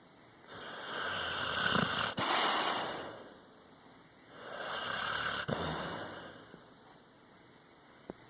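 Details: Sleeping dog snoring: two long, breathy, hissing inhalations, each about two and a half seconds, swelling and fading, separated by quieter exhalation, with a faint click at the end.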